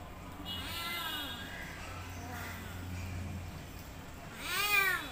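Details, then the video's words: Domestic cat giving several soft, drawn-out meows that rise and fall, with a louder, higher meow near the end over a steady low hum. "Cat meowing sound effect"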